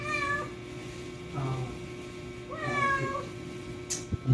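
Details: Domestic cat in labour, giving birth for the first time indoors while people help her; several harmonic meows rise and fall, one at the start and two more around one and a half and three seconds, with quiet speech and handling noises.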